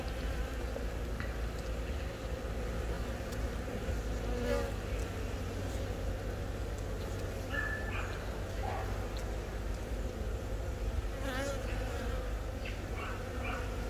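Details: Honey bee colony inside the hive on April 20 in Baegam, Yongin, where a queen born from this year's first natural swarm began laying eggs; steady low droning hum with faint higher harmonic bands and brief chirpy flickers, filmed on a Galaxy Note 10.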